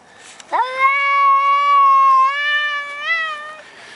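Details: A talkative Maine Coon cat in the garden, not wanting to leave his favourite bush, gives a long, drawn-out meow that swoops up, then holds steady.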